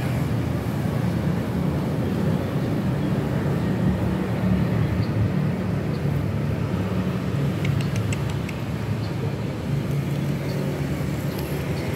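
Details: Steady outdoor traffic rumble fills the recording, with a few faint clicks and no animal voice.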